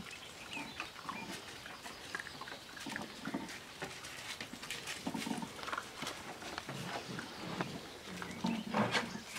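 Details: Seven-week-old Australian Shepherd puppies playing together: low grunting growls and small squeaky yelps in short irregular bursts, with scuffling noise between them.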